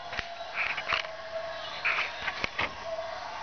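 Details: Three-week-old golden retriever puppies give short, high squeaky whimpers amid soft clicks and rustling.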